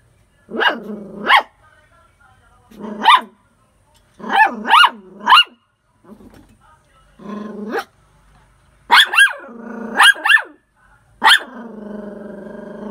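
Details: Barking poodle dog: about a dozen sharp barks in pairs and short bursts of three, separated by low harmonic growling stretches, ending in a sustained low growl.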